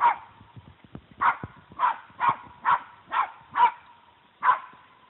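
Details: Surprised little Puggle barking at a deer that holds its ground; a steady run of about eight sharp barks, roughly one every half second, with faint tapping noises underneath.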